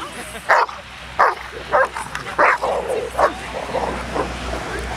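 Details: Hovawarts at a rainy-day gathering of sibling litters, twelve dogs and many people present; loud, sharp barks in short bursts roughly every half second to second over the first three seconds, with background chatter and murmur.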